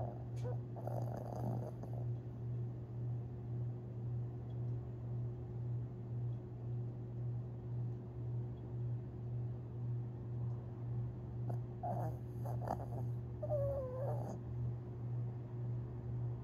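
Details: Long Haired Chihuahua named Tinkerbell, asleep and dreaming on April 17, 2021: a low, droning snore pulses steadily about twice a second throughout, broken by a few brief, thin squeaky whimpers near the start and end.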